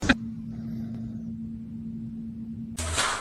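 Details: A steady low engine hum rumbles throughout, with a sharp click at the start and a louder broadband burst near the end.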